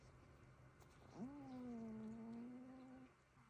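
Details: One of two sleeping cats lets out a single snore that jumps up sharply, then holds as a steady, slightly falling whistled tone for almost two seconds before stopping; otherwise quiet indoors.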